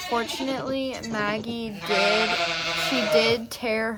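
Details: Nigerian Dwarf dairy doe Maggie, an ADGA goat on a Northern California farm, giving birth to twins for the first time; a drawn-out, strained bleat with a steady low pitch holds for over a second, with people talking over and around it.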